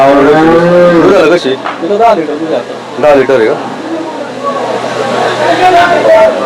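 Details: Native desi cows at the Saturday cow market in Chakan, 3 January 2026: a drawn-out, harmonic moo opens, falling in pitch, then gives way to men talking and bargaining over the animals amid market bustle.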